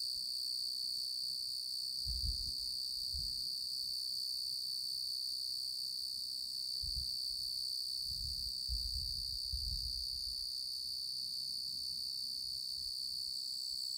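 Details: Genus Oecanthus tree cricket, a male, producing a sustained, even high trill with no breaks, accompanied by several dull low thumps and bumps scattered through the middle of the recording.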